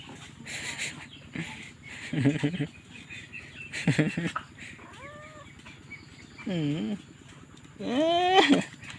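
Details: Stray kittens crying, with several drawn-out harmonic meows that arch or rise in pitch, the loudest near the end, over a low steady background hum and a few short broadband knocks.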